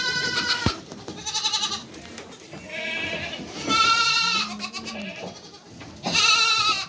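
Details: A mother goat with her kids gives loud, quavering bleats, each lasting about a second. A low, steady bleat comes between them, and there are short pauses of rustling quiet between calls.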